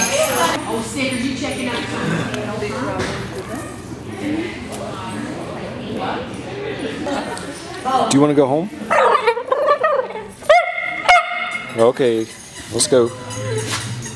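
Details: Italian Greyhounds at a Sunday morning playdate hosted by Italian Greyhound Rescue of Denver at Mantayo Kennels, Denver, Colorado, January 2014; sharp, ringing barks and high yips burst out in the second half over constant human chatter.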